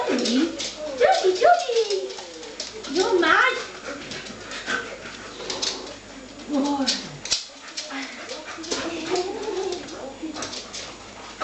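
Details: Soft Coated Wheaten Terriers, five kept as pets, performing the breed's excited 'Wheaten greeting': high wavering whines and squeaky yelps rising and falling in pitch, in bursts, mixed with a person's voice talking over them.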